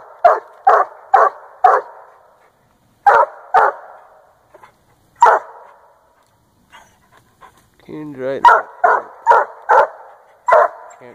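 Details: Treeing Walker coonhound, a year and a half old, barking at a treed raccoon in Northern Missouri: bursts of rapid, punchy barks in quick runs with pauses, a man's voice speaking briefly partway through.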